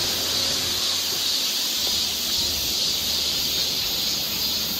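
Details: Cicadas on a forest trail in Seoul, Korea, in summer fill the air with a steady, high, hissing drone that barely wavers.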